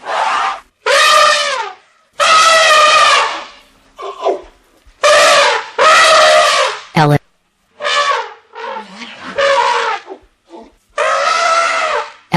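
An elephant trumpets in loud, brassy blasts, each about a second long, repeated several times.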